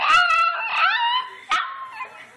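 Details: Domestic dog talking back to its owner, who asks if it is still talking: a short warbling howl rising then sliding down, followed by a brief sharp yelp and a fading whine.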